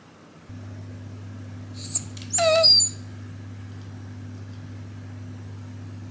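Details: Shiba Inu named Hachi, a pet dog in a blizzard that turned back from its walk, gives a brief high squeak followed by a longer squeaky, strained whimper of under a second, over a steady low electrical hum.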